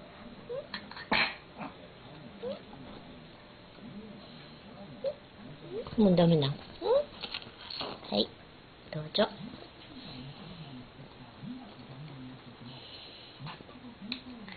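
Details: Kou-chan, a domestic cat, protests during a meal when the food shifts to one side: soft low grumbles run throughout, rising into a louder, bright upward-sweeping meow at mid-clip, alongside eating clicks and indoor noises.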